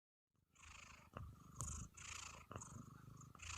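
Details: Domestic cat purring contentedly: after a brief silent start, a steady low rumble sets in, with breathy pulses rising and falling about twice per second as the cat breathes in and out.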